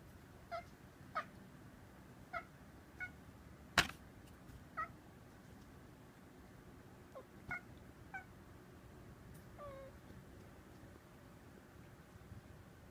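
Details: House cat at a window chattering at birds outside, as if copying their voices. Brief chirrups come in an uneven series, with one sharp knock near the middle. The room is otherwise quiet.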